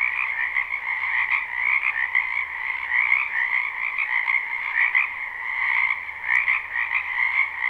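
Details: Many frogs calling together in a wetland during spring, live and unlooped; steady overlapping trilled croaks form a constant shimmering wall of sound, with a soft low hum and a few faint ticks.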